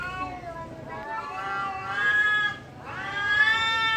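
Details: Cats fighting at a temple, giving long wavering caterwauls that rise and fall in pitch, two drawn-out human-like wails, the second rising sharply and holding high.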